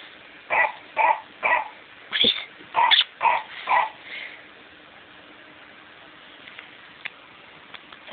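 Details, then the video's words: PaddyMac the pet dog going after a McDonald's Clifford toy: a run of seven or eight sharp yappy barks about half a second apart, one higher yip among them, then quiet with small clicks. "Clifford the big red dog ATTACKKKK!"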